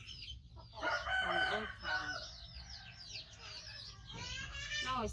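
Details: A 5-month-old rescued baby monkey, missing one foot from a trap injury, gives loud, strained, wavering cries that rise and fall while waiting for its carer to feed it.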